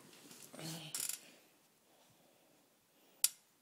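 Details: A brief murmur of voice and a couple of sharp clicks, then a single loud snap in an otherwise quiet room, with no animal call.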